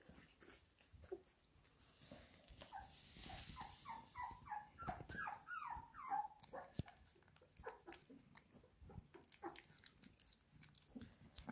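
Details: Labrador Retriever puppies eating minced beef indoors: a run of short, squeaky, high whimpers clustered mid-clip, set among wet smacking, lapping and chewing clicks.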